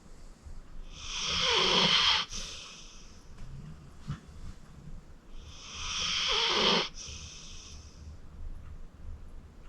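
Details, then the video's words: Fourteen-year-old pit bull Acorn, rescued from the Cuyahoga County Animal Shelter, snores while sleeping deeply: two long, hissing, raspy snores about five seconds apart, each swelling then cutting off with a snort. "Acorn Sleeping - Relax with a Snoring Senior Dog"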